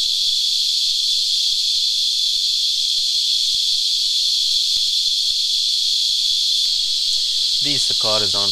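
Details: Sap-sucking cicadas, known locally as Christmas Beetles, give a constant shrill rasping whine without pause; a man's voice begins speaking over the drone near the end.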